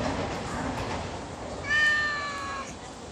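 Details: Stray cat being fed in late afternoon, giving a single drawn-out, slightly wavering meow lasting about a second after background noise and faint voices.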